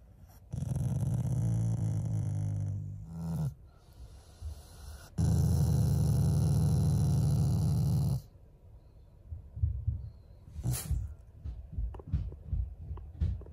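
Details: Family pet Shiba Inu growling as a show of affection toward its owners, not anger: two low rumbling growls, the first about three seconds, the second about three seconds after a pause, followed by quieter snuffling and small noises.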